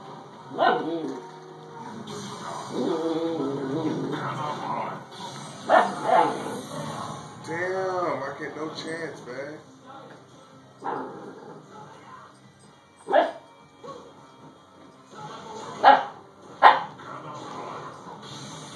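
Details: Young female Siberian Husky barking at a doorstopper as if it might attack. Scattered sharp yaps with whiny, wavering vocal sounds in the middle. A person reassures the puppy throughout.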